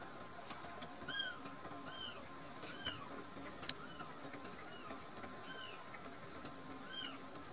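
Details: Two rescued kittens, Nan-chan and Cookie-chan, drowsy and full after drinking milk; thin, high arched mews repeat roughly every second, each rising then falling, over a steady low indoor hum.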